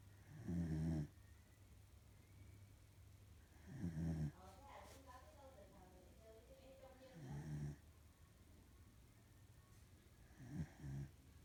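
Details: A female corgi snoring heavily in her sleep, with low, rasping snores repeating roughly every three seconds, four in all; a short stretch of quiet talking is heard between the second and third.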